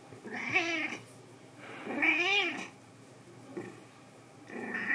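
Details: House cat lying stretched out like a "cat strip" in a cool, air-conditioned home during summer. It gives two loud, drawn-out meows that rise and then fall, followed by fainter, shorter mews, with quiet room tone in between.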